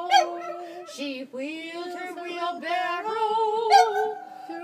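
A Boston Terrier howls along with a sung tune, its long, wavering tones sliding up and down.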